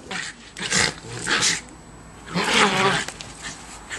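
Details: Two schipperkes playing in fresh snow in December 2008: sharp, broadband barks and yelps in three bursts, near the start, middle and end, some carrying a growly, harmonic edge, with quiet pauses between.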